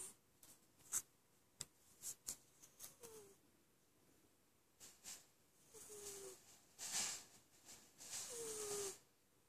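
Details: Sleeping cat Lessa: scattered soft clicks and rustles first, then a run of hissy snoring breaths, one or two ending in a short falling whistle.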